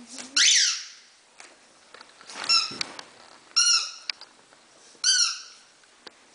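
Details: Havanese puppies, five weeks old, from the litter of Teddy and Irie, giving three separate high, squeaky whines that each rise and then fall, spaced about a second apart, after a brief harsher squeal at the start.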